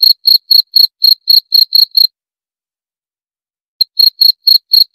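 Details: A cricket gives a short run of about nine quick, shrill chirps, falls silent for nearly two seconds, then starts again with a soft first pulse followed by louder ones, all at a brisk four-per-second rhythm.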